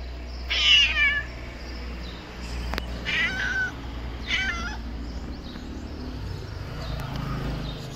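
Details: Thin black stray cat in Morocco, very hungry and thirsty, possibly with newborn kittens; three wavering, drawn-out meows, the first loudest, spaced a couple of seconds apart over steady street hum and a sharp click.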